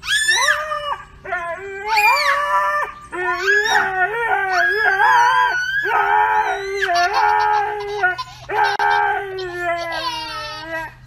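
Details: Siberian Husky from a funny TikTok dog compilation, giving a run of wavering, yodel-like howls and woo-woo vocal phrases that rise and fall in pitch, with short breaks between phrases and a steady low hum underneath.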